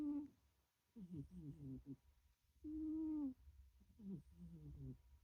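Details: A sleeping pet cat, possibly black, snoring: droning, buzzy breaths with a strong tonal hum, the longest near the middle, split by short, choppy, crackling exhales and a pause of about a second.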